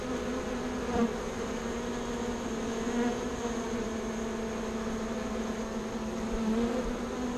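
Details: Bees relocated from a birdhouse to a bee box near a bee yard produce a steady, even hum with a clear low tone and its overtone, with light background rumble.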